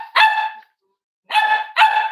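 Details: Cavalier King Charles Spaniel puppy at a home where emotional support animals are raised, warm Friday morning: one sustained high bark, a silence of over half a second, then two more ringing barks in close succession.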